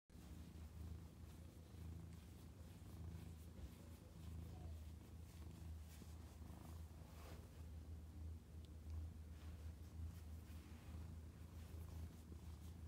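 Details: A Domestic Shorthair cat, a mother cat up for adoption at a shelter, recorded 5 May 2021 in the afternoon, purring in a steady, deep, continuous rumble that holds unbroken for the whole stretch.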